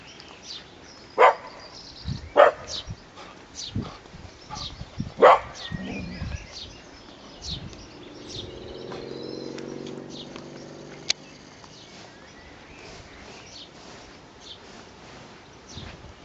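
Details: Dog barking at people passing its home garden, three sharp single barks a few seconds apart early on, then softer rumbling and background outdoor noise with a low hum.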